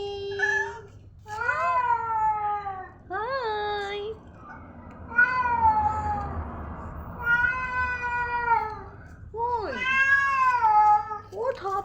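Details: Pet cats meowing indoors, a series of drawn-out, wavering meows, some rising and others falling, about seven calls in twelve seconds, with a low steady hum behind them.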